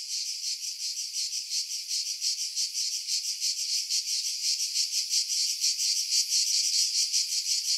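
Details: Pine-tree cicadas on Skiros Island, Greece, above Pefkos Bay in July 2018; loud sizzling buzz with fast rhythmic pulsing that grows slightly louder toward the end, wind buffeting edited out.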